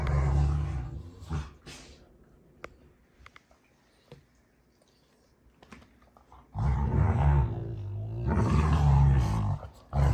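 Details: Play fighting between Rottweilers June and Kenai at a homestead ranch: a burst of throaty growling, a long quiet stretch with faint scuffling clicks, then two more sustained rumbling growls.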